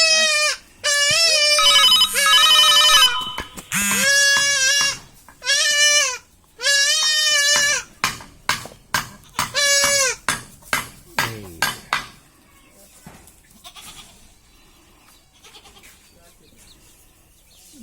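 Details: Goat kid under castration bleats repeatedly in distress, about one loud, wavering bleat per second and some cut short, then fading into quieter gasps, with a steady ringing tone briefly heard early on.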